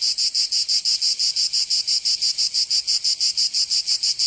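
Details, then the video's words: Cicadas singing in summer in Provence, southern France: a loud, high, buzzy drone pulsing in rapid regular beats about three per second, steady throughout, no other sounds. "Canto Cigarra 🦗 [ Escuchar les cigarras en verano"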